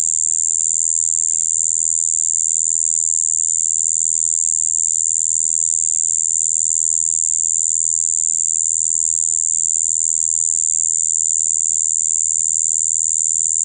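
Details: Continuous spring song of a Shibuiro kayakiri katydid, an overwintering adult recorded 2 April 2023: a flat, buzzing "bii" mixing high and low tones, sustained evenly for the whole stretch without pause.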